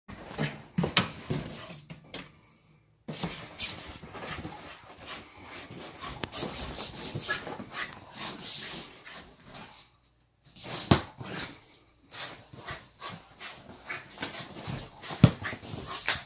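A Basenji vocalizes in uneven bursts of whines and yelps, some drawn out and wavering, others short. Brief pauses of silence break up the calls, with faint indoor room noise between them.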